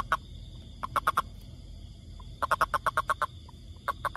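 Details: A toad living in the forest gives short, croaking pulses in quick bursts, each burst a rapid series of clucking notes.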